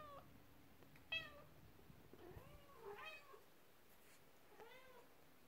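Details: Indoor cats, with a mother cat upset as her kittens play with their first toy, a horse-drawn carriage; three or four clear, arched, high-pitched meows are spaced about a second apart over a quiet room background.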